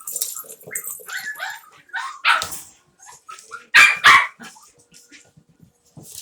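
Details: Havanese puppies playing together in an office: a busy run of short high yips and whines, broken by several loud, sharp barks near the middle and a pair in quick succession later.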